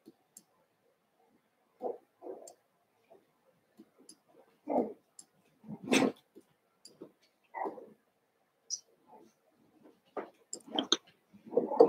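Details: Cavalier King Charles Spaniel puppies, six of Daisy's litter merged indoors with Robin's two pups, giving short scattered yips and squeaks separated by quiet gaps, with faint clicks in between.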